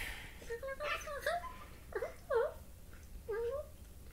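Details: A corgi puppy playing makes a string of short, swooping whines and yodel-like squeaks, non-dog-like noises likened to a cross between a turkey and a chimpanzee.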